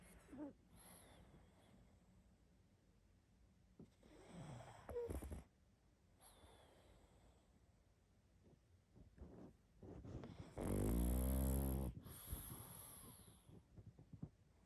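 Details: Sleeping pug snoring loudly, with low wheezing snorts and breathy rumbles, including one long raspy snore near the end, against a quiet background.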